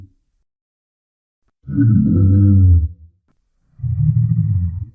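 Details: Rhinoceros roaring: a heavy, low, rumbling bellow of about a second, then a second slightly quieter roar after a pause; no other sounds.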